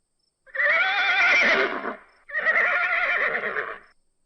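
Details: Horse, shown alongside its baby, the foal: a loud, quavering whinny lasting about a second and a half, then a second slightly shorter wavering neigh right after, on a clean silent background.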